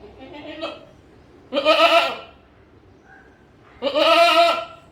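A goat gives two wavering, nasal bleats a couple of seconds apart.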